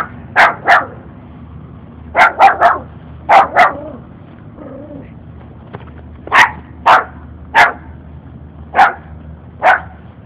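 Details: Pair of puppies trailing a walker, one barking repeatedly to scare him off; sharp high barks in quick doubles and triples, a short whimper-like sound near the middle, then evenly spaced single barks over a low hum.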